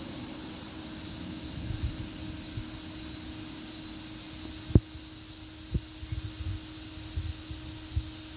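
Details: Cicada sound as a sustained high, hissing buzz at constant loudness, with a couple of sharp clicks near the middle and low rumbling underneath.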